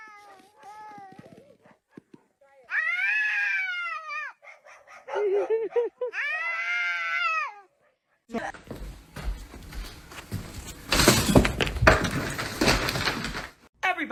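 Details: Domestic cat giving two long, arched, harmonic meows, each rising then falling and lasting over a second, separated by a short pause, followed by loud broadband music and noise.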